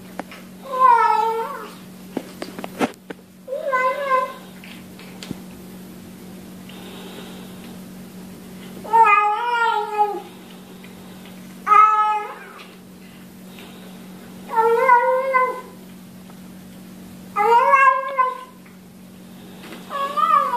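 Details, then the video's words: Cats and kittens calling out as they eat, as if saying nom nom nom; seven wavering, harmonic meows, each about a second long, repeated roughly every two to three seconds over a faint low hum. "面白い猫と子猫を食べながら鳴きながらYUM YUM YUMを言って"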